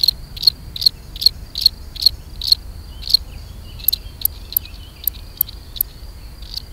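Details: Mating song of the European field cricket, Gryllus campestris: evenly spaced high-pitched chirps, roughly two or three per second, with a brief pause after a few seconds, then thinner, sharper clicks continuing.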